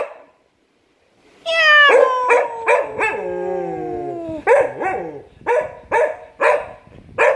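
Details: A male cocker spaniel, annoyed at his owner making cat sounds, gives a long, sliding, drawn-out howl, then a string of short, sharp barks.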